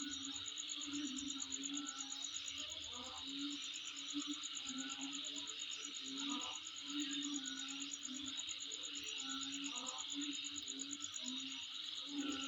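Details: Insect sound recorded near the recordist's home: an unbroken, finely pulsed high-pitched trill layered on a hissing insect chorus for over twelve seconds, with repeated low tonal notes and scattered crackly bursts.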